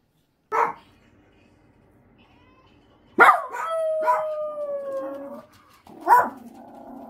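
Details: Elderly Miniature Dachshund Choco, aged 13 with a brain tumour, anxious and lonely since her eyes and ears worsened, gives a single bark, a pause, then a sustained slowly falling howl between yelps, ending in a softer drawn-out note.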